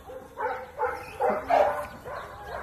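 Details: Dog playing fetch, giving about five short, tonal, yelping barks in quick succession over under three seconds, with faint background noise.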